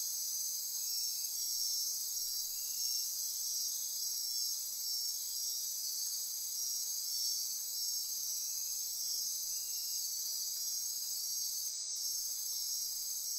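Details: Costa Rican rainforest insects at midnight on the Osa Peninsula, a steady shrill chorus of layered high trills and pulses, with soft intermittent chirps and a short click near the end.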